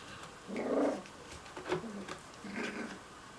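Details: Puppies playing, one giving a short low growl around half a second in, followed by softer grumbling growls and a brief squeak, in a small indoor room.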